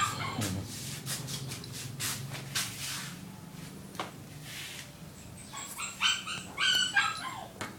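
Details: A small black Shih Tzu gives short, sharp yapping barks mixed with soft whimpers.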